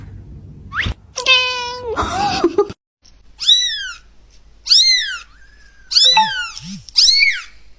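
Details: Kitten giving short, rising-then-falling meows in quick succession, some harsher and broken, with brief gaps between and a low hum at times.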